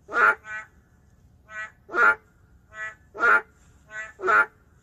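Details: Boreal digging frog, an endangered species living in the city, giving loud gruff croaks about once a second, each answered by a softer, more tonal nasal croak from another frog, four loud calls in total.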